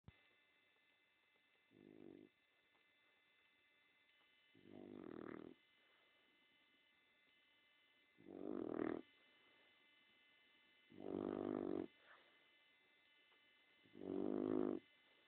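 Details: Female pet dog snoring while napping: five low, rasping snores, each lasting under a second, spaced roughly every three seconds and growing louder, over a steady faint electrical hum.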